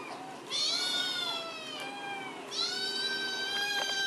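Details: Kittens meowing at dinner time in a small room, two hours after being fed. Two loud, drawn-out meows, each rich in overtones and gently falling in pitch. The first runs about two seconds and the second begins halfway through.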